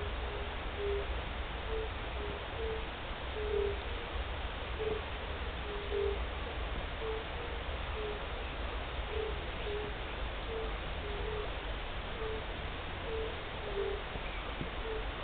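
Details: European fire-bellied toads (Bombina bombina), the first heard on 29 March 2014, call together with short, soft, fluty 'oop' notes about once a second, overlapping into a slow chorus over a low, steady rumble of wind or distant noise.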